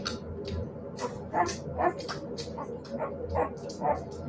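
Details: Siberian Husky puppies yipping and whimpering in short, high bursts repeated roughly twice a second, uneven in rhythm, with a low background rumble and human speech mixed in.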